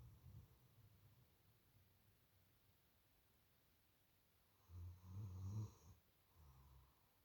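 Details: A female German Shepherd watchdog in deep sleep snores in deep, low rumbling breaths, loudest in a burst near the end.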